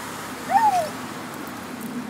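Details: Spitz-chow Foxy whines at a squirrel in a tree during a morning walk: one short, clear whimper that rises briefly and then slides down, over faint steady outdoor background noise.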